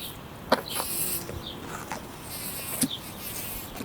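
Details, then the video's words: A bumblebee gives a continuous low buzz whose loudness rises and falls, broken by two sharp ticks and patches of high-pitched hiss. "Bee /Bumblebee / Bee buzzing"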